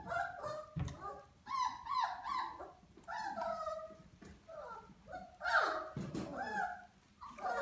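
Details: Vizsla puppy at 34 days old: high, nasal whines and yelps in short overlapping bursts, some rising and falling, with brief pauses between them and a few sharp clicks or knocks.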